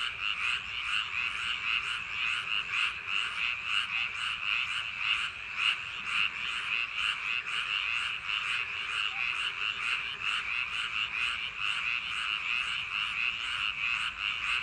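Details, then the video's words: Paddy-field frogs in full chorus on a summer night, many voices overlapping in continuous, fast-pulsed croaking trills that hold an even loudness throughout, with no other sounds standing out. "개구리 울음소리 l 불면증 숙면효과 l ASMR | frog sound for sleep | 여름밤 논두렁개구리소리"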